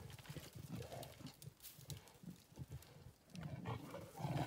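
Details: Two leopards battling high in a tree for control of a carcass while hyenas wait below for scraps; low, rough growling pulses repeat in quick bursts, fading briefly midway, then a louder, harsher snarl near the end.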